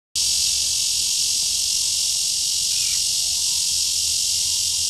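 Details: Red-veined bear cicada singing at Shezi artificial wetland on 2 July 2016: after a brief silent start, a loud, unbroken high-pitched metallic drone holds steady throughout, with no other clear sounds.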